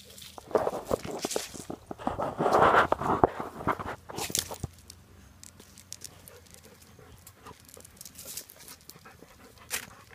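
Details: Lucy, a 9.5-year-old female Golden Retriever with brain cancer and a liver tumor, during a seizure episode; harsh, rapid panting bursts swell loudest early on, then fade to quieter, irregular breathing with scattered clicks and rustles.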